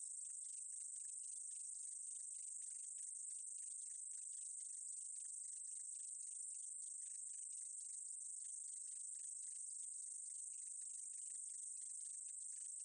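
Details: High, even sizzle of a meadow katydid from a 2020 Korean insect sound collection runs without a gap, with a stream of rapid faint ticks mixed in beneath.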